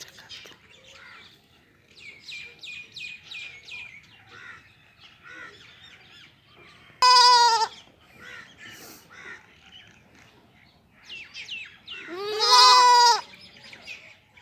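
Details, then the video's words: Goat kids bleating twice, loud nasal cries about five seconds apart, the second longer and wavering, while small birds chirp and twitter steadily in the background. "Cute sound of Baby Goats kids | Baby Goat kids Voice"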